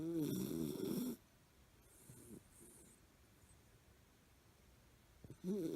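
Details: Milo, a miniature fox terrier, snoring in his sleep as he usually does. A loud, buzzy, harmonic snore lasts about a second at the start, then near silence with faint breaths, and another snore begins at the very end.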